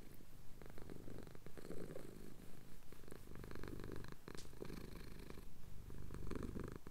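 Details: Domestic cat purring while having his chin scratched during a sunrise over the Cotswold hills, England; recorded on a Tascam DR-07X. Steady low rumbling purr in pulsing breaths, with faint clicks and rustles.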